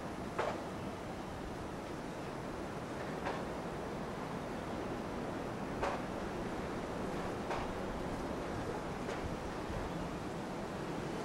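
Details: Steady wind rushing over the microphone with a few faint clicks, and no animal voice heard.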